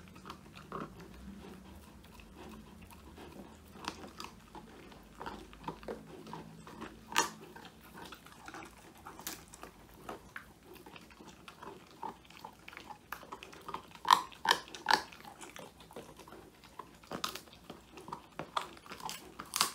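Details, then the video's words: Woody, a young male Old English Sheepdog, eating a whole quail treat indoors, phone-recorded; irregular crisp crunches, quiet at first and building into denser, louder bites toward the end. "통 메추리 오독오독 수제간식 먹방"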